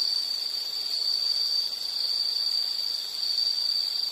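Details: Insect calling in a steady, unbroken high-pitched trill, a bright ringing buzz that holds level throughout with slight pulsing in loudness; faint hiss beneath, no other animals or voices.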